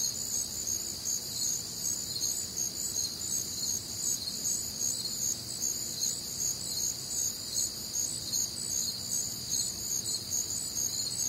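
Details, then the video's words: Crickets and other nocturnal insects on a warm, humid Midwestern summer night: a dense, steady high-pitched chorus of overlapping shrill pulsing chirps, several bands layered together, with no other clear sounds. "Night Time Cricket Sounds"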